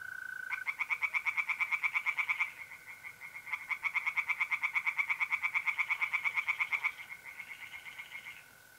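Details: Tree frogs singing in a pond at night in mid-April, North-East Italy: rapid pulsed croaking bursts in bouts of two to four seconds, with short pauses between, over a steady, high, unbroken trill of mole crickets.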